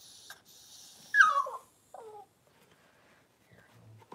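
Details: Cavalier King Charles Spaniel indoors while the female Daisy gives birth to six puppies over two hours; a sharp, high whimper slides steeply downward, followed by a shorter, softer falling whine, then near silence with faint rustling.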